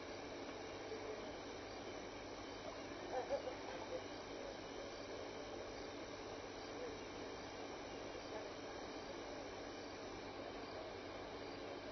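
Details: Steady broadband hiss with no clear animal call, only a faint brief knock near the middle.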